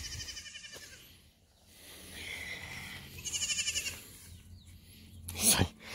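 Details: Goat kid calling while taking orange-scented medicine he likes: a short bleat at the start, then a wavering, tremulous bleat midway, with a woman's voice and handling noise around it.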